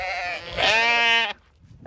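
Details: Zwartbles ewe on a regenerative farm in County Kilkenny, Ireland, as the flock is called through a gate toward a feed bucket; one loud, steady, nasal bleat lasting under a second, then quiet.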